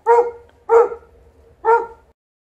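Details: Alaskan Malamute barking outdoors while playing and refusing to come inside; three loud, clipped barks spaced roughly every 0.8 seconds, with low background rumble.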